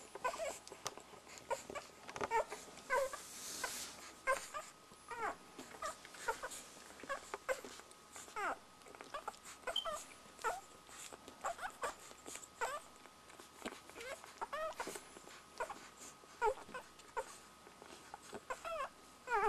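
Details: Border Collie puppies aged one week suckle amid a busy stream of short squeaks and whimpers, with a brief hissing burst early on and a constant faint hum.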